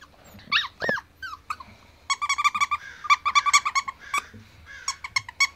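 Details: Ivory white male Pomsky puppy, seven weeks old, indoors. Two high, arching whines give way to rapid bursts of short, squeaky, high-pitched yips, repeated in quick runs with brief pauses between them.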